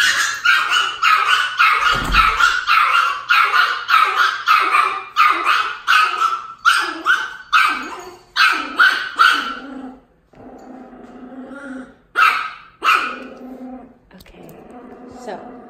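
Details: Two-month-old Miniature Pinscher puppy meeting a Dachshund of one year six months; rapid high yappy barks in dense bursts for ten seconds, then a few scattered sharper yips with quieter gaps, a person speaking afterward.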